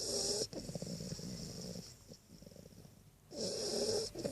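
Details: A little Great Dane puppy snores while lying beside its owner, with rasping breaths separated by a few seconds of quiet.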